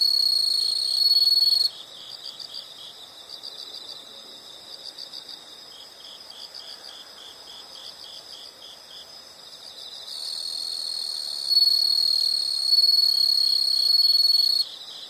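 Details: Insects heard as nature sound for relaxation: loud, steady high-pitched trill in bursts lasting a few seconds, alternating with a softer pulsing chirp repeated about four times a second in the background.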